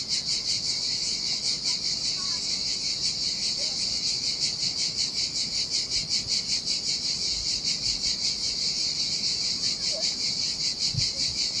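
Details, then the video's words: Summer cicada chorus at a lonely Sardinian beach in the heat: an unbroken, piercing metallic hiss throbbing in quick regular pulses, about 2.6 per second, with gentle surf murmuring low in the background. "Ocean Waves & Cicada Sounds"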